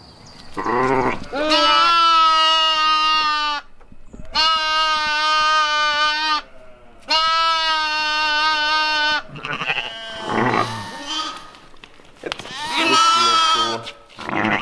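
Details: West African dwarf goats on a farm in October 2020, giving long, wavering, nasal bleats in strong bursts of about two seconds, with shorter bleats and a break near the end. No music is heard.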